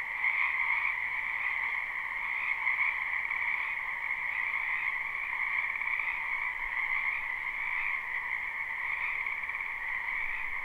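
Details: Frogs croaking en masse in a spring wetland, captured live: a softer, even chorus of trilled croaks in two layered bands over a light background hiss, unchanging and without pauses.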